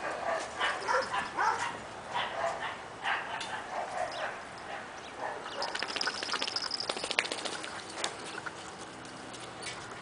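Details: Miniature Dachshund puppy Junebug and her sister Lil-bit, in Halloween killer bee costumes, wrestle playfully on a playdate; short gruff growling yips repeat through the first half, giving way to a dense crackle of clicks and scrabbling.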